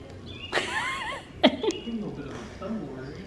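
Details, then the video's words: Snow, a female cat with a big personality, gives a high, wavering squeak with sliding pitch, then a short sharp chirp, while a woman talks softly to her indoors. "Cat with big personality squeaks"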